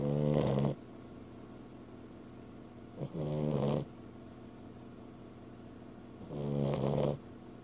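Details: A female pet dog asleep indoors snores in long, buzzy, rattling breaths, three snores spaced roughly three seconds apart, with soft room hiss between them.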